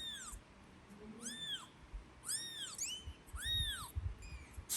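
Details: Kitten crying near its angry mother cat, who returns it to the nest: four or five loud, rising-falling squealing mews in quick succession, with low knocking and movement noise.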